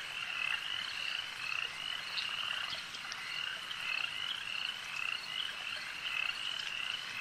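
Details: At a lake, a massed frog chorus keeps up a continuous shrill trill, with short clear notes and soft clicks repeating every few seconds over the background.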